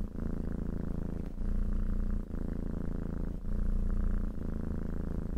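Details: Cat purring close up: a steady low rumbling drone with rhythmic pulsing, breaking briefly about every second as breaths alternate, no other sounds.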